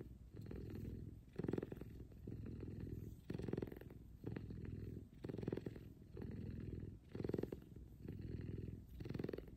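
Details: F2 Savannah cat Kumba purring loudly while cuddling with its owner in the morning; a low, rumbling, continuous purr that swells with each breath, pulsing roughly every two seconds in alternating inhale and exhale phases.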